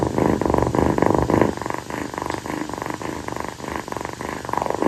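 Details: Steady, rumbling purring from a clingy rescued calico kitten, a young female, settled on its owner's feet at night after playing during a tropical-night heat. Close pulsing beats come about three and a half per second, louder in the first half.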